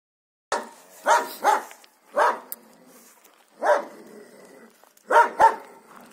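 Siberian Husky giving short, rough barks in uneven bursts, some in quick pairs.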